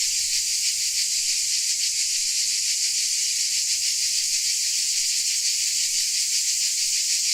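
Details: A chorus of crickets in Dalmatia: continuous sharp, high trilling blended into a steady hiss, with gentle rapid throbbing and slight swells in intensity across the short stretch.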